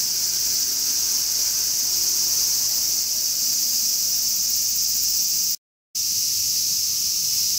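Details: Large brown cicada's summer song: an even, piercing, hiss-like drone that barely varies, stopping for a moment near the end before returning.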